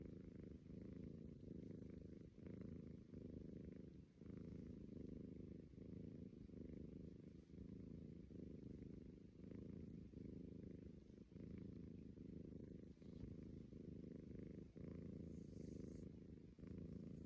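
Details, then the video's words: Kenny, a Persian cat, snoring: a steady low rumbling drone that runs continuously, broken by short dips roughly every one and a half to two seconds in time with breathing, in a quiet setting. "Kenny Persian cat snoring"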